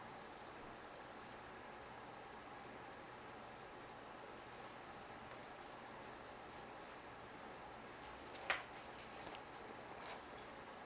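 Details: Crickets inside a gargoyle gecko's vivarium chirp in a steady, rapid, high-pitched pulsing trill that runs without a break.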